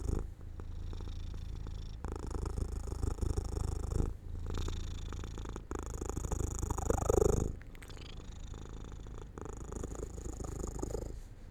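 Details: House cat drifting to sleep in sunlight beside an open window, purring in low rumbling bursts separated by short breaths, with a faint brief higher sound in the middle.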